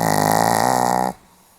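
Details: Pomeranian dog sleeping, dated 8 November 2015: loud throaty rattle already underway, pulsing steadily for about a second before cutting off sharply into quiet room hush.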